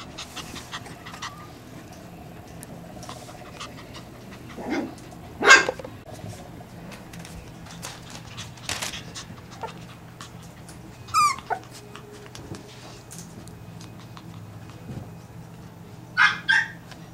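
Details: Peekapoo puppies panting softly, with a few brief, high, squeaky whimpers sliding downward, scattered across a quiet stretch over a low steady hum and faint clicks.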